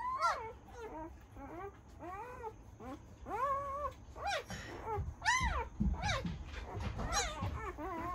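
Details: A newborn Great Dane puppy litter from 2020 squeals and whimpers together in high, arching, overlapping cries.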